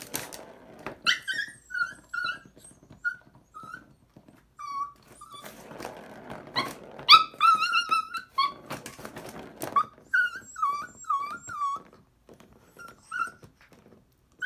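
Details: Puppy playing indoors with a cat toy it loves, giving repeated high, wavering whines and squeaky yelps in bursts, with scuffling and toy noises in a small room.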